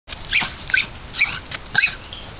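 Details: Fox terrier recently adopted from a humane society in Utah, barking while chasing the household cat: four quick, high-pitched, thin yapping barks within about two seconds, with a faint background hiss.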